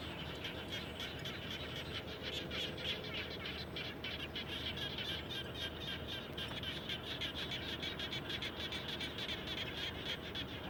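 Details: After rain near a house, many frogs call together in a steady, thick chorus of quick rattling pulses that never pauses, some faint higher chirps woven through.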